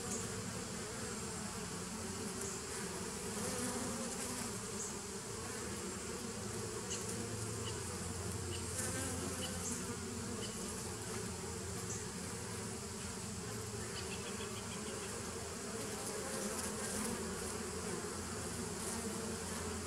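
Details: Continuous buzzing drone from a 2017 bee nucleus colony, taped 27 September 2018, holding level for twenty seconds with a thick low hum and a faint hiss above it.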